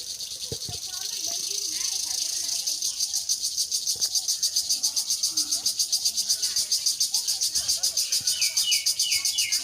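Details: True crickets chirp in a dense, high, pulsing daytime chorus in a quiet rural Bangladeshi village, with a few faint bird notes.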